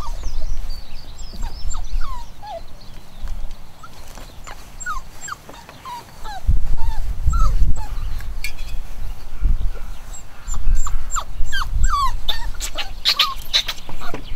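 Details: Chocolate cockapoo puppies, a home-bred litter of boys and girls nine weeks old, whine and whimper in short rising and falling squeals, scattered through the recording, over heavy low rumbling handling noise.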